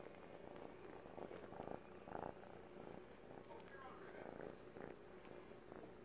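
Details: A male Siamese kitten, three months old, kneads and sucks a blanket as though nursing, purring in a continuous low drone, overlaid by rhythmic wet sucking bursts every half second or so.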